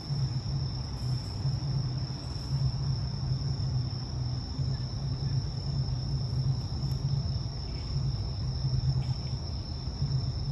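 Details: Bell crickets singing at night in Higashi-Shirahige Park, Sumida, Tokyo, with Tokyo Skytree lit up, September 3, 2022, from 6 pm, recorded on an iPhone SE: a steady high ringing tone holds throughout over a heavy low city rumble.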